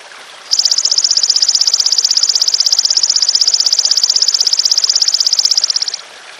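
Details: Long unbroken call of a golden grasshopper, made as songbird tutoring material: a shrill, fast-pulsed metallic buzz starting sharply and holding steady for about five and a half seconds before cutting off over a soft hiss.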